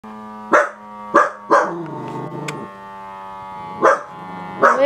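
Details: Dachshund barking during a toe massage: five sharp, bright barks at uneven intervals, with a low grumbling whine held between them.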